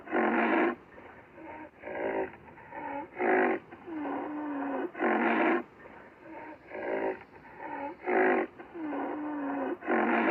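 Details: Black rhinoceros (Diceros bicornis), call.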